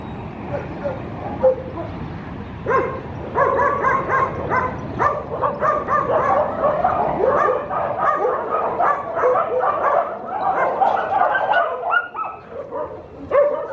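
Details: Dog barking and yipping in rapid, excited runs of short harmonic barks, nearly continuous from about three seconds on, with whimpering notes mixed in.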